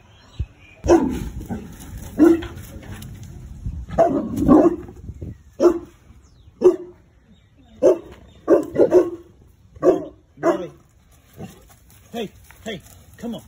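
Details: Boerboel, a large mastiff-type dog, giving deep barks in irregular bursts, some doubled, spread across the recording with short quiet gaps between them.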